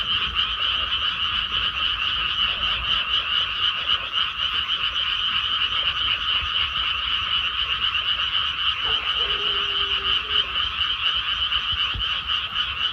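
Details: Many frogs croaking together in a paddy field once planting is done, producing a constant dense trill of fast raspy notes at two pitch levels; a brief lower tonal sound appears near the end amid the unbroken chorus.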